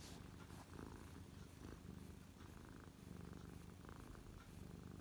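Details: Pet cat settled on a lap and purring happily, recorded close up in December 2023; continuous deep rhythmic rumble with even pulsing and no pauses, faint soft rustling in the background.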